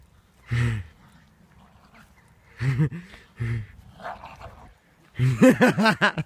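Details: Staffordshire Bull Terrier growling as it hangs off a rope swing, something it will do for up to an hour when left alone; low, throaty harmonic growls in separate bursts, ending in a quick pulsing run of louder growls.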